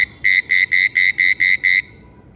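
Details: Attraction call of a frog or toad: a fast, even series of seven short buzzy pulses on a flat, unchanging pitch, about four per second, then silence. The background is quiet.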